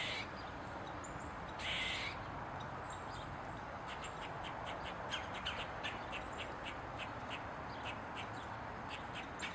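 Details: An Eastern gray squirrel on a mushroom, tail wagging, lets out one coarse, hissing bark early on, followed by a long run of brief clicking squeaks spaced under a second apart over a constant low rumble.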